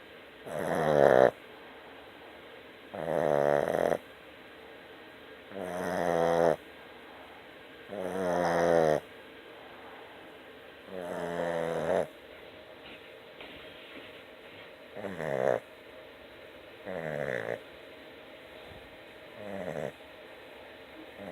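A Boston Terrier snores in loud, rasping bursts, each lasting about a second, roughly every two and a half seconds.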